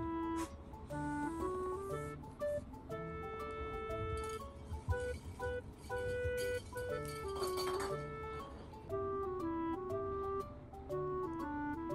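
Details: Background music plays throughout, a flute-like melody of sustained notes over soft accompaniment, with no bird or cat call audible.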